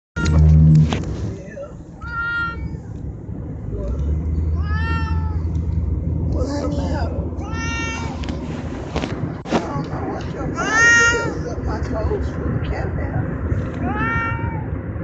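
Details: A pet cat crying: a series of clear, drawn-out, rising-then-falling meows, five in all, spaced roughly every two to three seconds, over a low steady rumble and some talking in the background.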